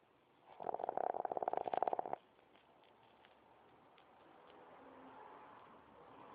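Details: Lily, a puppy, snoring while she sleeps with her eyes open. A buzzy, rapidly pulsing snore lasts about a second and a half and is followed by quiet indoor hiss.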